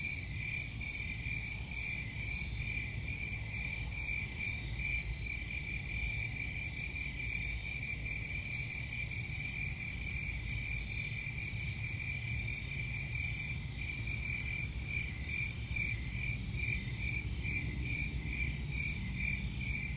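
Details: Continuous high cricket trilling pulses on without pause for twenty seconds, overlapping callers forming a dense shimmering band above a low, steady background hum.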